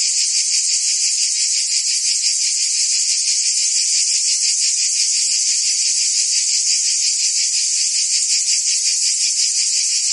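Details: Continuous high-pitched trilling of many crickets and insects, two bright layered bands pulsing quickly and evenly, a constant wall of sound with no pauses, birds or voices.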